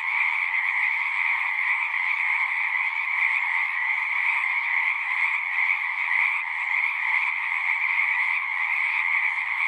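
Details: Singing frogs in a thick, unbroken chorus; rapid trills blend into a constant high and lower band, level and steady throughout.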